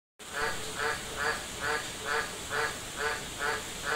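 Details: An Australian green tree frog in Darwin City, Northern Territory, gives a steady run of deep, quacking croaks, about two every second.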